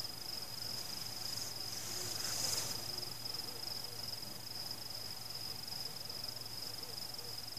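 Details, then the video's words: A continuous high, rapidly pulsing cricket trill carries on at night while fireworks explode. One louder crackling burst stands out about a third of the way in. No people, pets, music or cars. "Fireworks Celebration (ambient sound including crickets)"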